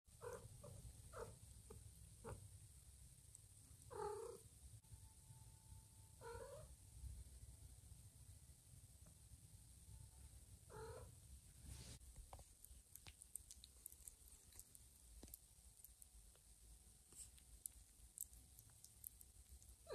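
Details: Mother cat Lima checking on her kittens, which lie snuggled on a person's tummy indoors; soft, short chirping mews come in scattered bursts through the first eleven seconds, quiet against a low steady rumble, then only faint rustling.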